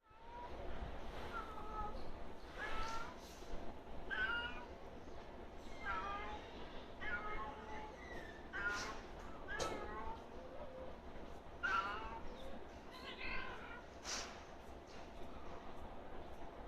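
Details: Cats courting on a roof trade drawn-out, wavering meows and yowls that rise and fall in pitch, in bursts every second or two, with steady low background rumble throughout.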